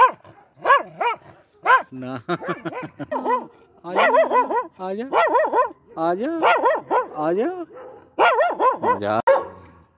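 A Pomeranian gives rapid, high-pitched, yappy aggressive barks in tight bursts.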